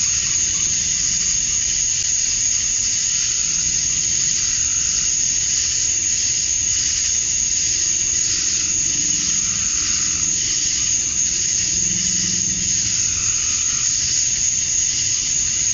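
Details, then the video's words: Male cicadas chirping at dusk on a summer night in Georgia, USA, to attract females: a loud, even, high-pitched shrilling drone, with faint low rumbles swelling briefly underneath partway through. "Cicadas at Dusk, Summer Night"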